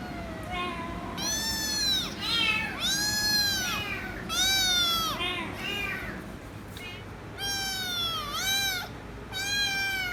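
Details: Kitten meowing so loud it won't stop until given head rubs: strong, bright, arching meows in quick succession, several swooping down then up in pitch.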